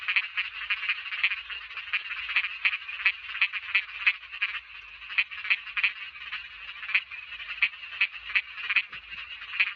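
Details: Chorus of small frogs named in Thai: a high, raspy continuous trill carrying loud, snappy croaks at irregular intervals, several callers overlapping, with only faint low rumble beneath.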